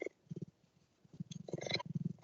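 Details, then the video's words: Kiki, a female cheetah in the Running Wild Conservation breeding programme, purring: low, rapid throbbing pulses in bursts, some louder broadband rustles overlaid near the end. "She is beautiful, and we can hear that purring from Kiki."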